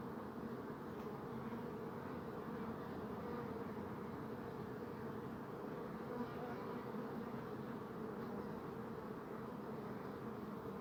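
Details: A dense, unbroken hum of many buzzing bees, the deep droning tone holding steady for the whole stretch, with a few soft higher whirrs passing briefly over it.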